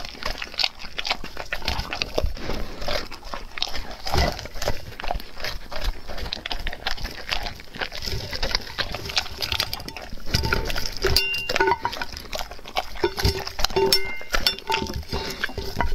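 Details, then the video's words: Dog eating raw food: continuous loud, wet chewing and crunching with rapid irregular bites throughout. Short squeaky tonal sounds appear in the later seconds. "Dog Eating Raw foods"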